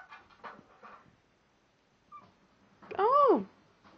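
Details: House cat talking to its owners: a person speaks quietly, then after a pause comes a single arched meow that swells up and falls away.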